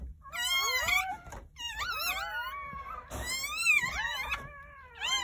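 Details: Newborn Jindo puppies, one litter of nine delivered on New Year's Day at a country house. Shrill, wobbling squeals of several pups are bent upward and downward, coming in three or four quick bursts.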